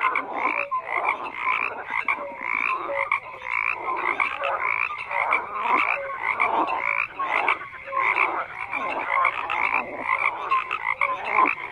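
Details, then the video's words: Dense frog chorus over nearly twelve seconds, harsh croaks rising and falling in irregular waves, punctuated by short clear notes at a lower and a higher pitch, with nothing else audible. "FROGS CROAKING"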